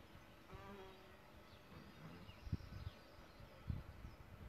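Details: Deep wingbeat drone from a solitary bee nesting in a bug hotel, a brief tonal hum followed by uneven low buzzing with a couple of soft thumps; faint birdsong carries in the distance.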